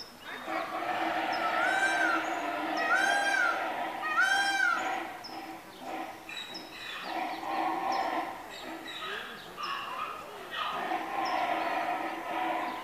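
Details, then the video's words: Male Grevy's zebra Kahlfani crying at Los Angeles Zoo while a female comes to see. Three wheezy, arching harmonic cries come roughly every second and a half, then a steady murmur of background voices continues. "Grevy Zebra Kahlfani crying and his daughter グレビーゼブラ カルファニの鳴き声と娘"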